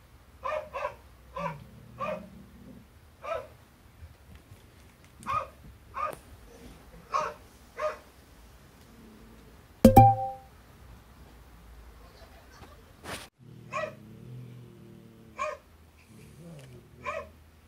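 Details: Barks of Harry, a late border collie, replayed on a television, prompting the hachiware cat Lou to flee; short harmonic barks, often in quick pairs, at irregular intervals, with a loud thump midway and a steady low hum.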